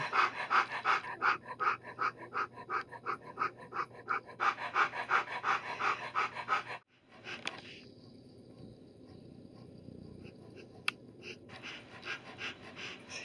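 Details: Early-days Helix Darwin litter of Alaskan Noble Companion Dog puppies, nine agouti and liver pups. Quick regular panting bursts run for about seven seconds, then stop abruptly, leaving only a quiet hiss and one faint click.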